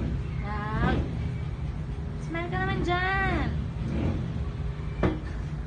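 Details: A happy three-month-old Siberian Husky puppy in the Philippines gives short, voice-like yowls that rise and bend in pitch over a low rumble.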